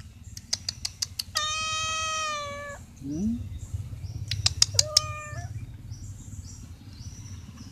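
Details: A stray cat asking for food gives one long level meow, then a shorter rising one, with sharp clicks before and between the calls and a low rumbling background.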